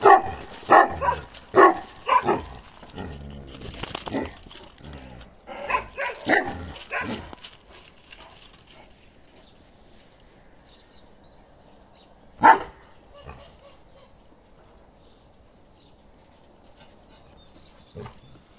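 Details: A 15-month-old male Kangal, said to be slowly becoming a grown male, gives a run of deep, rough barks in quick succession over the first seven seconds, then near silence broken by one more isolated bark.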